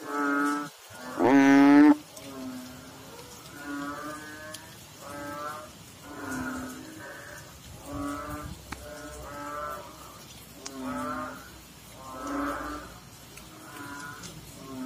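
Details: Frogs calling in water: one loud, rising, harmonic-rich croak near the start, followed by a steady series of softer, nasal croaks. Each lasts about a second, repeating every one to two seconds over a faint background hiss.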